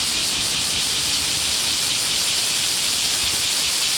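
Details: Unbroken shrill buzzing of many cicadas in Hōei-chō, Kōchi City, Japan, recorded in front of a udon shop near Warakō Museum; a steady, sizzling wall of sound with slight rhythmic wavering throughout.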